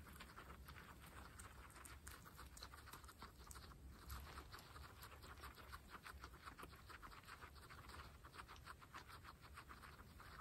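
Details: Pregnant female guinea pigs from a group of twenty-six munch fresh grass; dense, continuous crunching and tearing with rapid overlapping bites, steady throughout, over a low background hum.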